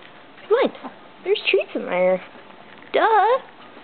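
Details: Dog named Kingston, indoors, excited as he waits for a treat toy holding hidden Milkbones. He gives high, wavering whining yelps in three bursts that bend up and down in pitch. A person talks to him between the bursts.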